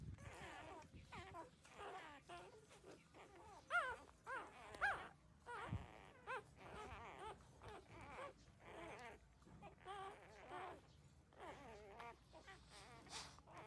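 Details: Thirteen-day-old pups suckling from their mother, with a muddle of faint overlapping whimpers and moaning squeaks, a few louder yelps standing out midway amid soft shuffling sounds.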